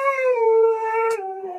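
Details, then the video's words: Siberian Husky throwing a tantrum, one loud sustained howl that slowly sags in pitch with a clean, rich tone and a brief noisy click near the end. "Siberian Husky tantrums"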